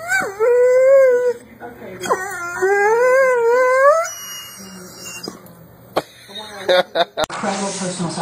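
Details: Pet Doberman producing two sustained, quavering howls that waver and rise, followed by quieter background noise, a few sharp clicks and a burst of hiss at the end.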